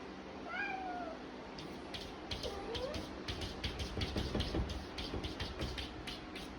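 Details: A male Persian cat calling in heat gives a drawn-out, wavering meow, then a shorter one, over rapid tapping noises.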